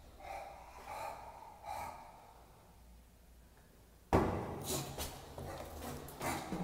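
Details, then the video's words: Bulldog worked up on a walk: three short harmonic whining cries in the first two seconds, then a quiet gap before loud, rough, breathy snorting bursts take over. "Worked up on the walk up"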